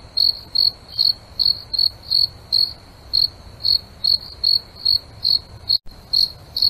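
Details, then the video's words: {'caption': 'Nighttime cricket chirping from roughly 100 insects kept in a large aquarium: rapid, high, trilled chirps about two and a half per second, briefly broken by a short dropout, with a low hum beneath.'} "Crickets at night"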